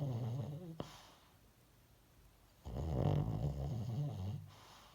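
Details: The tail of one snore, a faint click, a quiet gap, then a long fluttering, rumbling snore from a dog in deep sleep.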